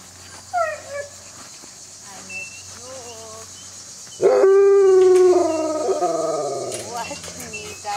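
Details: In June 2008, young wolves of a pack excitedly welcome a person home: they whine, then break into a long, steady howl with several voices rising to join it.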